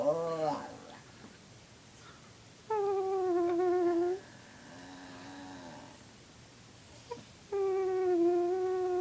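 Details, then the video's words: Pet dog howling indoors in response to its owner's odd vocal sounds: two drawn-out, slightly falling tonal howls about a second and a half each, separated by a quiet stretch with a faint low hum and small clicks. "My dog trying to howl at my weird sounds"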